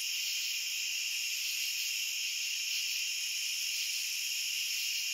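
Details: Shrill insect buzz of many crickets calling together, a flat, nonstop high trill in layered pitches, quiet background otherwise.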